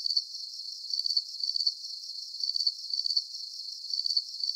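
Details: Crickets chirping as a relaxing nature lullaby. Repeated thin, high pulsing chirps follow a loose rhythm over a continuous soft background hiss, and nothing else is heard.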